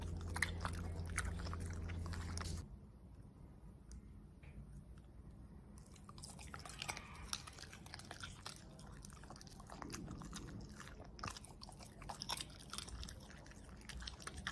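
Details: Pet Corgi eating steak, vegetables and blueberries. A short burst of chewing is followed by a quieter pause, then the crunching and wet bites return more densely, several per second, with a faint background hum.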